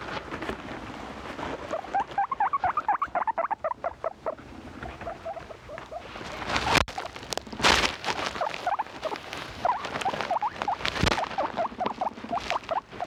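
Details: Pet guinea pigs making loud noises: rapid series of short, bright squeaks and chirps repeating many times a second, with bursts of rustling and shuffling noise in between.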